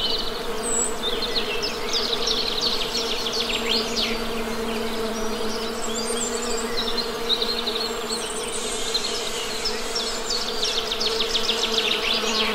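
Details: Steady, droning honey bee buzz with strong low harmonics, while birds chirp and trill repeatedly above it.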